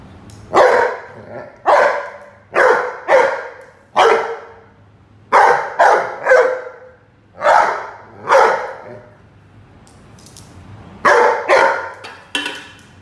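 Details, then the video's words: Roady, a Rhodesian Ridgeback, barking during play with a watering can; loud barks come in pairs and singles roughly every second, about fourteen in all, with a short pause near ten seconds. "Rhodesian Ridgeback (Roady Vs Watering can)"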